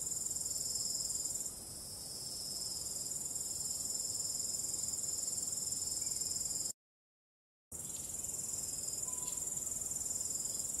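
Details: ['Crickets calling at night, a high, fast-pulsed shrill trill that holds steady, broken by one second of total silence partway through before resuming.']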